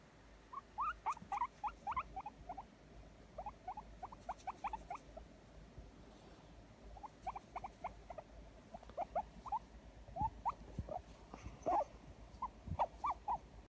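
A guinea pig gives bursts of short, squeaky notes in quick runs, pausing between each series.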